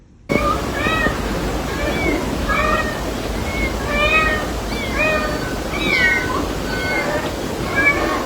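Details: Aggressive mother cat protecting her kitten: a rapid series of more than a dozen short, harmonic, slightly bending mews, roughly two per second, over a steady low background hum.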